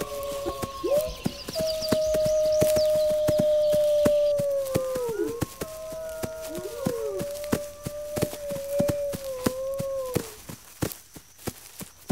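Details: Overlapping wolf howls, long level tones that waver, break and swoop down at their ends, with a higher voice entering briefly; faint chirping above early on and regular clicking taps throughout, fading to quiet near the end.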